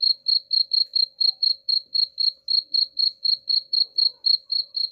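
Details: Bright, shrill cricket pulses come at a steady pace near four per second in a recording intended to chase rats away, over a faint continuous low hum.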